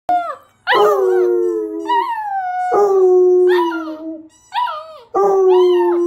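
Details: Two Basset Hounds, a father and his son, howling together as the father teaches the son to howl; long mournful drawn-out howls overlapping with higher wavering yelps, in three bursts separated by short pauses.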